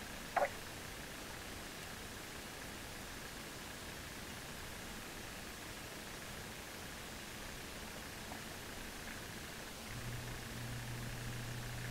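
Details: Steady hiss of background noise with a single brief click near the start and a low hum toward the end; no animal voice stands out.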